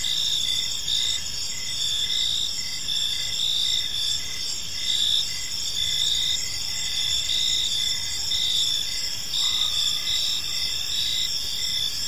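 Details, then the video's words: Park crickets in the evening, a thick layered chorus of high continuous trills and rapid pulsing chirps from many insects, with a brief faint lower tone near the end and gentle background hum. "Cricket Sounds in a Peaceful Park"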